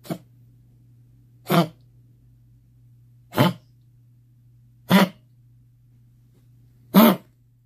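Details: Small Pomeranian puppy suffering from kennel cough: five rough, honking coughs in under eight seconds, spaced unevenly, each a brief harsh burst over a constant low hum indoors.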